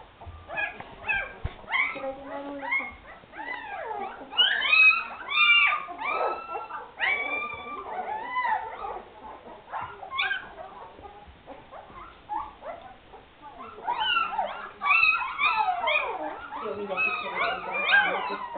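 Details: Afghan Hound puppies from the Szitár al Fidda kennel whimpering and squealing together, a dense stream of overlapping high rising and falling whines with short yelps throughout.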